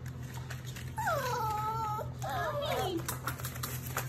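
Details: Litter of German Shepherd, Labrador and Rottweiler mix puppies, indoors: two drawn-out whining cries, the first a level tone near one second long, the second wavering and falling, over a steady low hum and faint background chatter.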